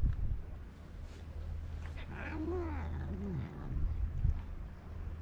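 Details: Karin, a ferocious stray cat in a Japanese park, jealous and irritated at other cats sharing her walk, gives a drawn-out wavering yowl over about a second and a half, with a steady low hum and faint background noise.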